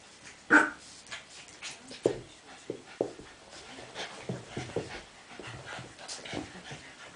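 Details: Playtime for Ollie, an 8-week-old black and tan Cavalier King Charles Spaniel puppy, with his friend Henry: a sharp yelp opens, followed by a string of short grunts, pants and whimpers in quick succession.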